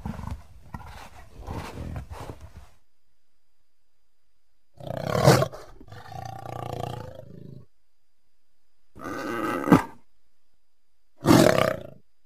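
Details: Leopard uttering harsh snarling bursts: a cluster of short rasps first, then three louder, growling snarls spaced several seconds apart with quiet between them.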